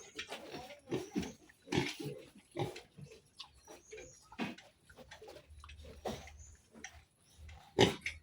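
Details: Domestic pigs, a sow with her piglets one month after weaning, give short, rough grunts in an uneven series, roughly one every half second to second, with a person talking nearby in a small indoor space.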